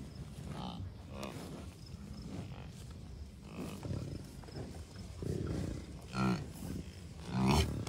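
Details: American bison herd of many cows, a few bulls and dozens of calves at Rocky Mountain Arsenal Wildlife Refuge, Commerce City, Colorado, June 2, 2022; scattered low, harmonic grunting bellows from several animals, louder calls near the end, with wind noise.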